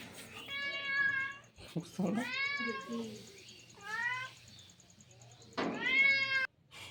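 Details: House cat visiting a person in the morning over tea, meowing repeatedly with long, tonal, slightly wavering meows, four in seven seconds, with some soft speech and room noise between.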